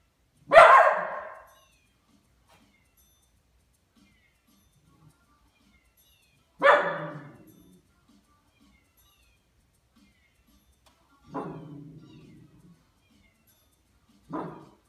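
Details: A Miniature Schnauzer barks at cats on TV, giving sharp, single barks spaced several seconds apart.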